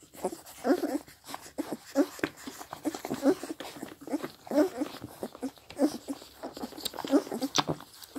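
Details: Sixteen-day-old Scottish Deerhound puppies, seven in all, crowding to suckle from their mother; busy wet smacking and slurping, soft nasal squeaks, some sharp clicks, slight background noise.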